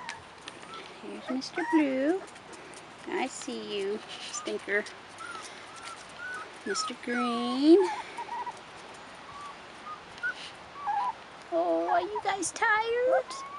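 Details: Rottweiler puppies, 4.5 weeks old, give a run of high, arching whines and yelps, each bending up then down in pitch. Short bursts come in clusters, with a rapid wavering series near the end over a quiet background.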